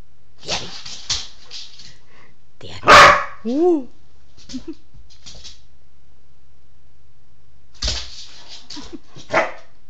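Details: Standard Schnoodle, a Schnauzer and Poodle mix, barking indoors: one loud, sharp bark near the middle followed at once by a short rising-falling whine, with softer scattered yips and brief noises before and after.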